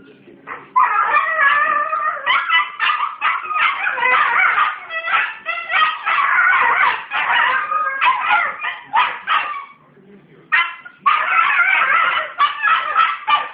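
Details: A 19-month-old Australian Cattle Dog making its dingo-like noises while teaching a 10-week-old puppy; loud, continuous harmonic yowls and whines with wavering pitch, broken into rapid choppy bursts, brief pause near ten seconds, then resuming.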